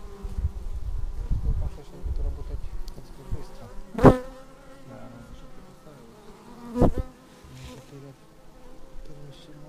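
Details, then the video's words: Bees landing at their beehive, filmed with a Xiaomi Yi action camera: a rumbling low buzz early on, then thinner wavering drones from passing insects. Two sharp, loud knocks stand out about three seconds apart. "Bees arriving at hive"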